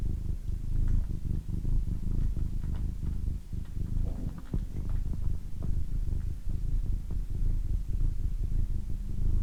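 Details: Female domestic cat purring steadily and loudly up close, a dense low throbbing rumble that barely varies in strength, with faint ticking noises scattered through it.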